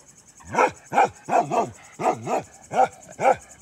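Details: Black Bakarwal guard dog giving a short series of seven harsh, wavering barks, some doubled, spaced about half a second apart.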